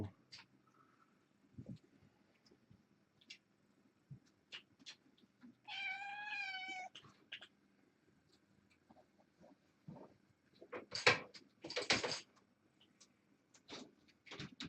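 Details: Kittens born August 29 and fostered after Purrfect Pals, indoors on an October 31 evening; a long, clear, wavering meow mid-clip, surrounded by clicks, taps and loud rustling bursts.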